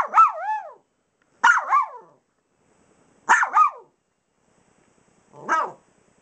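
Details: Dogs barking on the pillows of an unmade bed. Four bursts of high, yappy double barks, each with a falling tail, spaced about one and a half seconds apart, with silence between.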